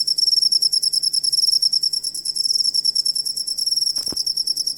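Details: Cricket sound used for tutoring songbirds: a bright, high-pitched pulsed trill of rapid chirps, with a faint low steady hum and a sharp knock near the end.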